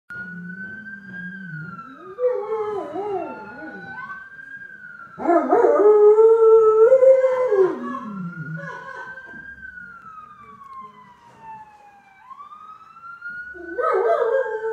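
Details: Dio, a pet dog, howls along with ambulance sirens. Wavering, mid-pitched howls rise and fall in bursts around two to four seconds, five to eight seconds and at the end, over a siren's slow, steady up-and-down wail.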